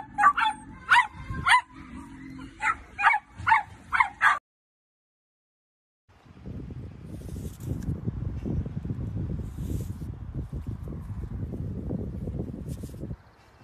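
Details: Playful Dachshund, a sausage dog, giving a quick run of about eight sharp, high-pitched yipping barks over four seconds, then a short silence followed by steady broadband rustling and handling noise.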